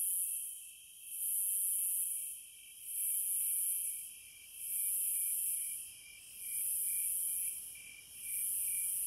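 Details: Cicadas singing in nature, shrill sizzling bursts that rise and fade in regular waves roughly every second and a half, with a softer, constant high trill beneath.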